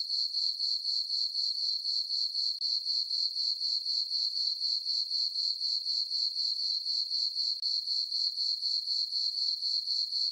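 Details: On a summer night under a full moon, crickets sing in a farm meadow. The tone is bright and high, beating in quick, regular pulses about four per second, with a still background.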